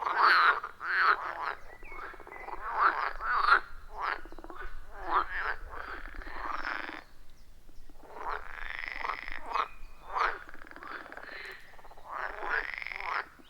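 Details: Wild frogs chorusing around a forest pond, iPhone 14 Pro and Shure MV88+ recording; rapid runs of rasping croaks, overlapping callers, a short pause midway, then the chorus resumes.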